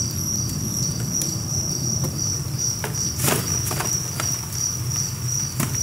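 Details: About 1000 two-spotted crickets housed in a cricket apartment enclosure keep up a steady high pulsed trill, accompanied by crackling rustles, low rumbling handling noise and a brief clatter midway.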